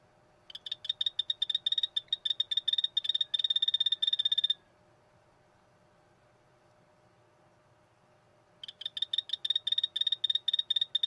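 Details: Poison dart frog giving stuttering bursts of sharp clicky pulses, bunched into irregular groups at a high pitch, for about four seconds, then quiet, then the uneven pulsing resumes.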